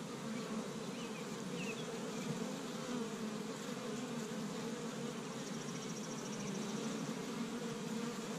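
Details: Busy honey bees at an established Michigan hive on the first warm day of spring, foraging pollen from tree buds. A continuous layered hum holds steady throughout, with a brief faint high chatter late on.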